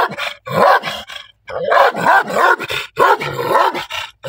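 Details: A black dog barks angrily and loudly, firing rapid rasping barks in tight clusters of two or three, separated by brief pauses, over about four seconds.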